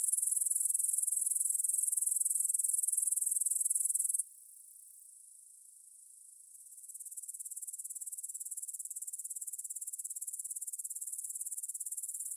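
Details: Evening stridulation of grasshoppers, 9pm, 6 September 2020, field by the Svensky monastery in Bryansk, Russia, Tascam DR-44WL: loud, high-pitched buzzing chorus that cuts out after four seconds, leaves a faint hiss, then returns softer and steady.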